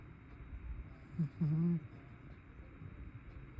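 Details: Heavy snoring from a chubby tabby house cat: two low buzzy snorts, a short one and then a longer, steadier rasp of about a third of a second, set against a soft indoor hum.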